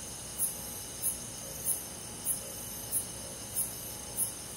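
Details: Cricket chirping on a rural summer night, seven crisp high pulses evenly spaced about 0.6 seconds apart, with a soft steady whine of forest insects underneath.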